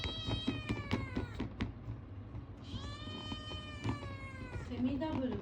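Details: Ragamuffin kitten, a young male, asking for food with odd vocalizations: a quick series of short clicky chirps, then two long bright meows, and a faint low whine at the end, with soft indoor background noise.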